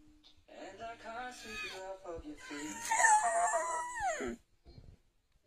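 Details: An English Bull Terrier, prompted by its owner to sing a song, howls along to an Ed Sheeran song in wavering, sliding tones, with a person's voice mixed in.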